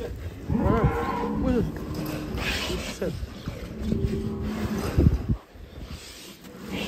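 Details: Giant cow in Indonesia, ridden by a young boy, lowing in two long, deep moos: the first drawn out and wavering, the second steadier and ending abruptly, with faint background voices and outdoor noise.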